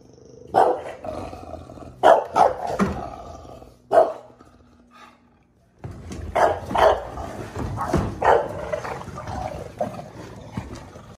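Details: Barks from a bulldog harassing garbage cans: a run of sharp, punchy barks, some in quick doubles, then a near-silent pause of two seconds before another burst of barking over background clatter.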